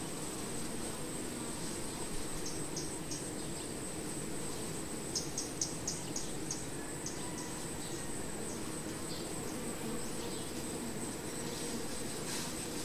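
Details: Honey bee hive drone, an unbroken low buzzing mass. A faint continuous high whine sits above it, with scattered short high ticks and a few louder clicks.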